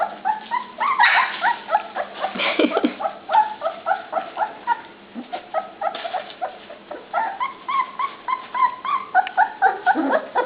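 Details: Puppies clamoring at dinnertime: rapid overlapping yelps and rising whines, a few sharper squeals standing out, the litter calling nearly nonstop through the stretch.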